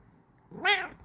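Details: Pet cat, female, making a happy mrrp indoors: a single short rising-falling trill-like chirp with clear harmonics, lasting about a quarter second.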